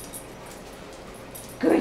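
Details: A female Shepherd/Leonberger mix dog being taught to spin as a trick. After a quiet pause she gives one brief, tonal, whining whimper at the very end.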